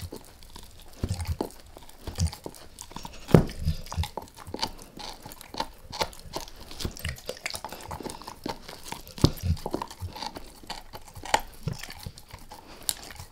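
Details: Dog named Max working on a beef rib indoors: steady wet mastication punctuated by scattered hard crunching bites, a few sharper snaps standing out, no voices.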